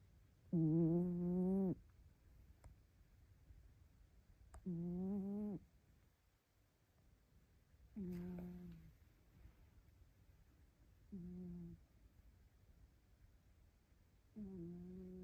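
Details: An orange-and-white rescue cat sleeps curled up and snores, at times sounding quizzical: five droning, voiced snores about every three seconds, each slightly wavering, with the later ones fainter and shorter, in a quiet room.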